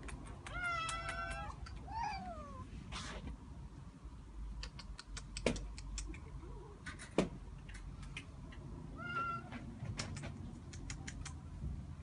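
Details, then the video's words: Cat in an attic meowing: a strong wavering meow, a short bent call soon after, and a thinner meow later, separated by sharp knocks and clicking sounds. "Cat Attic"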